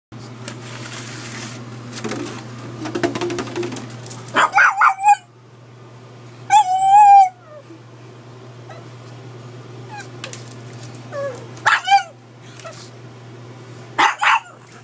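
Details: Edward the pug, indoors, barks at a gallon water bottle: a few short sharp barks and a drawn-out whining yelp near seven seconds, spaced by quiet gaps over a steady low electrical hum.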